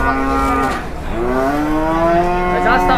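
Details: Angry, wild cattle in Indonesia just unloaded from a truck and charging: loud, long, harmonic moos that drop and then rise in a drawn-out bellow, with a man shouting nearby.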